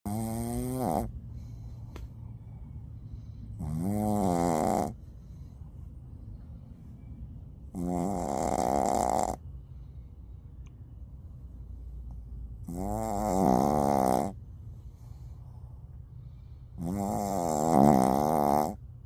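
A Shih Tzu snores loudly, each rasping, rattling snore returning every four to five seconds.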